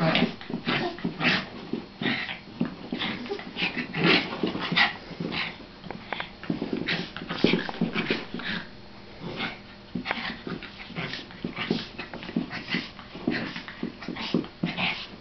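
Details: Several household dogs play fighting, a long busy stretch of overlapping growls, snarls and sharp yips coming in quick uneven bursts, with scuffling bodies between.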